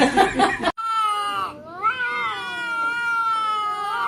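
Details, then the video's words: Kitten giving a long, drawn-out meow after a brief noisy burst: a sustained tone that dips, rises and then wavers steadily for about three seconds, with no other clear sounds. "kitten meowing"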